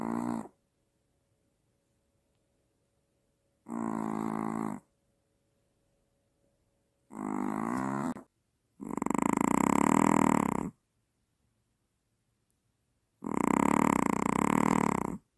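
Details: Maltese dog snoring louder than the father of the household, with sleep apnea and startled waking. Five harsh, rasping snore bursts, each one to two seconds long, separated by silent pauses. The last two are the longest and loudest.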